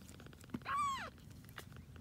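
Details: A grey tabby kitten, one of a litter born to a rescued once-homeless mother cat, lets out a single clear meow that rises briefly and then slides down, with faint clicks before and after.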